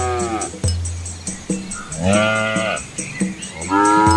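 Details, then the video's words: Asian village cows with calves walking along a quiet rural road among green rice fields; several overlapping rising and falling moos, some higher-pitched, come over a steady background music bed. "Cow Sounds"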